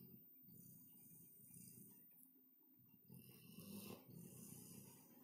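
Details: Labrador Retriever Caesar, a pet dog, deeply asleep on a sofa in an apartment, snoring loudly: rough low rumbling breaths in steady waves, briefly pausing midway, then resuming with a harsher, noisier stretch toward the end.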